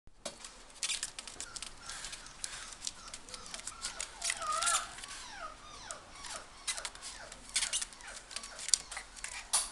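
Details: Golden Retriever puppy at a pet shop, Inu no Ie, Ginan branch, gives a run of short high whining whimpers, rising and falling squeaks in quick succession, over scratching and clicking noises in a small room.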